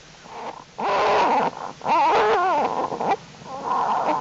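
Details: American black bear cubs of the bear Jewel in their winter den, January 31, unusually warm, cubs active and crawling; loud wavering bleating squalls with warbling pitch, repeated in bursts with short pauses between.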